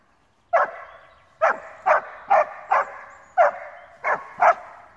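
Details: Male Alpine Dachsbracke at his first wild boar encounter, part of about thirty minutes of barking: eight sharp, loud barks, irregularly spaced, each trailing into a ringing echo in an otherwise quiet setting.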